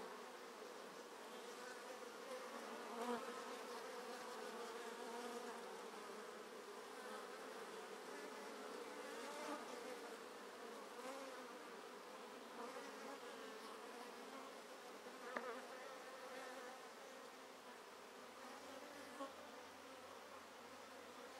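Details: Treatment-free honey bees at the entrance holes of a nearly full top bar hive, with drone activity on the side holding sealed queen cells. Dense continuous buzzing of many bees, wing-beat tones rising and falling as individuals fly past.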